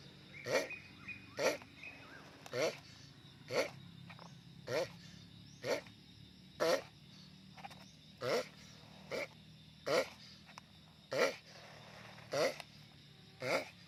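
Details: Sulcata tortoise grunting loudly in a steady series of brief, rough, harmonic bursts, about one every second for fourteen seconds, with a faint background hum.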